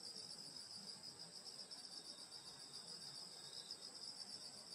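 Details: Grass insects on a rural summer night, heard as a constant, bright, high-pitched trilling wall of sound in two layers, unchanging throughout with faint low rustling beneath.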